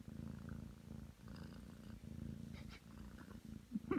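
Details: Nine-month-old Ragdoll cat Aki purring indoors on a bed while kneading. A dense, even low rumble pulses with each breath, and a tiny squeak is heard at the very end.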